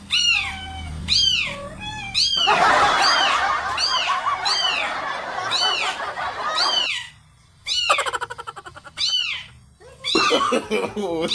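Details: Domestic cat reacting to recorded kitten sounds: a run of repeated arching meows, several per second at first, then breaks. Bursts of music and laughter follow near the end.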